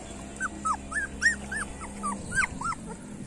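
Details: Street dog puppies cry in a steady run of short, high, downward-curving whimpers, roughly three per second, over a low constant hum.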